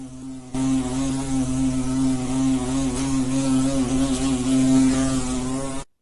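A bee's steady, low droning buzz holds one even pitch for about five seconds before cutting off sharply.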